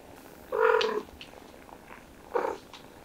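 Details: Mother cat caring for her kittens gives two clear meows: a longer, full harmonic mew lasting about half a second, then a shorter, higher mew after a brief pause, over a quiet background.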